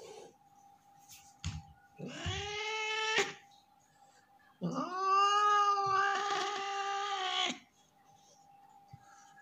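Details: Angry tomcat Leo, hissing and out of sorts, lets out two drawn-out strained yowls, the second about three seconds long, harsh and breathy at the top, with short gaps of quiet and a constant hum indoors.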